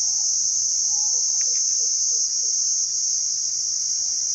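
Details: ['Cricket producing its chirp by rubbing its wings together, heard as a continuous piercing high trill, with a few soft low chirping notes from another creature briefly underneath.']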